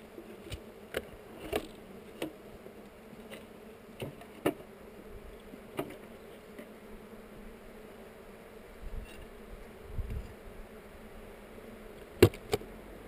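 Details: Honey bees at a hive during an inspection, near heather, recorded on a GoPro: a steady low droning hum runs throughout, with scattered sharp clicks and taps from handling the hive.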